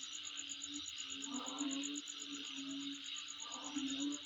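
Insects keep up a steady, high, pulsing trill with a constant shrill hiss beneath it.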